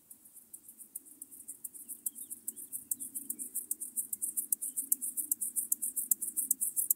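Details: Locomotive grasshopper, Chorthippus apricarius, recorded 9 October 2020 in Moosham, Austria, with an ultrasound detector: very high, dry rasping pulses repeated about two to three per second, steadily growing louder, over a faint low background hum.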